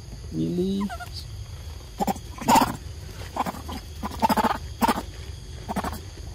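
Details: Excited young monkeys at Sovana waiting for breakfast and fruit treats: one short harmonic call, wavering then falling, opens the clip, followed by scattered sharp knocks, rustles and bursts of activity.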